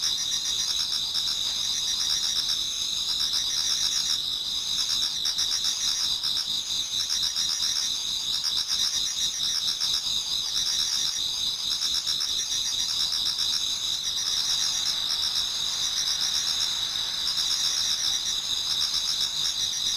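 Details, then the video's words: Toward dawn in autumn, many insects sing in a Japanese garden, forming a constant shrill double-banded drone with gentle pulses roughly four times a second, the texture shifting slightly midway. "Autumn Insects voice Towards dawn"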